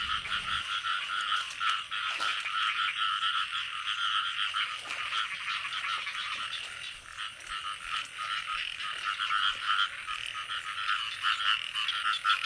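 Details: Frog chorus in the early rains of the year, heard during frog catching: unbroken, fast pulsing croaks that swell and fade gently, with a couple of brief clicks.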